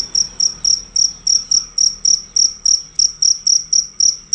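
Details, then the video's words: Cricket singing loudly without stopping, high piercing chirps repeated in an even rhythm close to four per second throughout, each pulse crisp and ringing; nothing else clear besides soft low background noise. "Jangkrik ganas dan suara keras tanpa putus"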